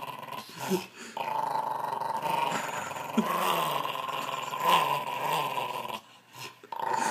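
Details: Dog making a continuous motorbike-like growl that revs up and down over several seconds, with a steady buzzing tone and brief breaks, recorded close up indoors.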